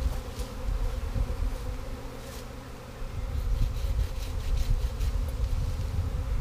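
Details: The third honey bee swarm of 2017 being caught into a box after the limb is cut; an even, low droning hum holds with slight swells, accompanied by scattered clicks and faint rustling.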